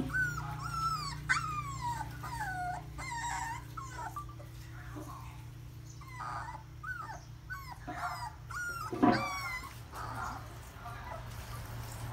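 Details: Puppies whimpering and squealing: a rapid series of thin, high, wavering cries, some sliding downward, overlapping one another, with short yips and a low steady hum beneath.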